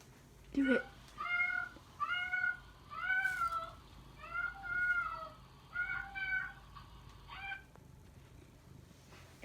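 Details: Domestic cat giving a run of about eight short, clear, tonal meows, each arched up and down in pitch, coming roughly every second with brief pauses, while people nearby urge it on and talk quietly.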